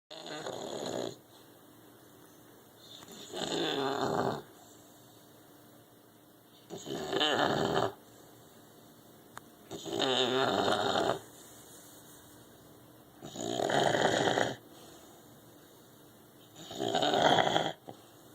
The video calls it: Tilly english bulldog snoring...